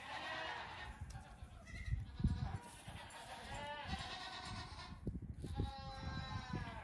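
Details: Two-week-old goat kids at play on a farm one morning bleat in tremulous, strongly harmonic calls, one after another, over scattered knocks and footfalls.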